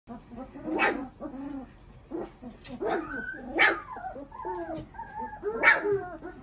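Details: Three-week-old puppies giving short, high, wavering whines and squeaks in irregular bursts, some rising then falling, with faint human voices and rustling in the background.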